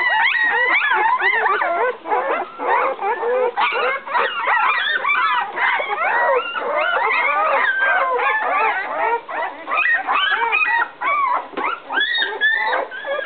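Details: Eleven-day-old puppies in a whelping box cry for their mother after she came in and left again; a dense chorus of overlapping yelping whines and squeaks rises and falls continuously, with only short gaps.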